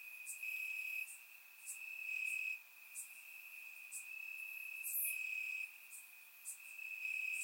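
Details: Crickets calling from grass on a warm Bulgarian summer night, surround-recorded; one shrill, steady trill swells and fades in loudness while brief piercing chirps from other insects repeat about once a second.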